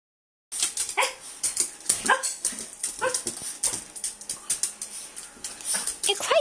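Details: Chihuahua, a small dog, giving quick high yips and whimpering squeals in a burst, mixed with clattering clicks and a steady high hiss indoors.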